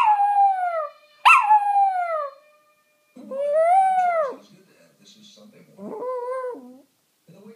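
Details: A Maltese dog "sings" along to a TV programme, howling in long, wavering notes that slide up and then fall away.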